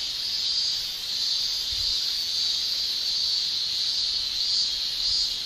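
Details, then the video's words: Summer song of male Japanese cicadas made with tymbals, a steady piercing high buzz with soft pulsing swells, slightly quieter, faint low rumbles in the background. "Japan Summer Cicada Shrilling"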